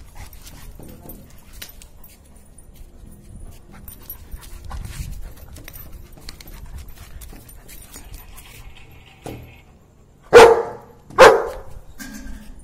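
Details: Jack, a German Shepherd, barks to ask for play: a long stretch of soft rustling and low household noise, then two sharp, loud barks about a second apart near the end.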